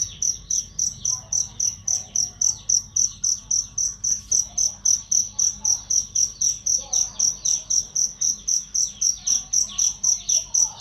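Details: Loud, clear cricket chirps meant for training songbirds: a long, steady run of sharp, high-pitched pulses, close to four each second, evenly spaced with little else audible.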